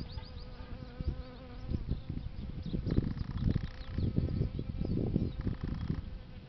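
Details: Bees feeding on a flowering plant: a steady low buzzing hum with layered harmonic tones, broken by soft thumping and rustling noises through the middle and end.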